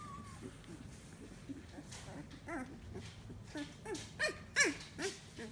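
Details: Samoyed puppies, 15 days old, their eyes newly opened and starting to walk, give soft, thin whimpers that swell into a quick run of short rising-and-falling whines in the second half, over a steady background rustle.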